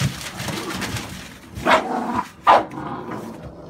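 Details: American Staffordshire Bully from a litter of puppies born 11/16/2017, with a male puppy on offer; two sharp, short barks about a second apart break a low murmur of background noise.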